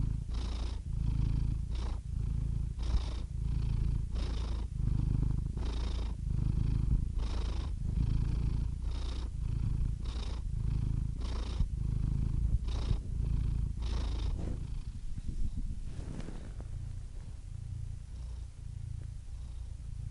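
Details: A cat purring in a low, throbbing rumble, each breath cycle marked by a soft airy rasp, fairly steady for most of the stretch, then quieter and smoother near the end.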